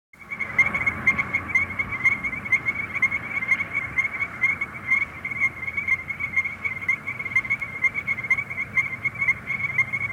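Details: Strecker's chorus frogs, Illinois' rarest frog and a threatened species of shady woods, streams or sand prairies, call in a chorus of clear, bell-like notes, repeated rapidly and steadily; eggs are laid in March.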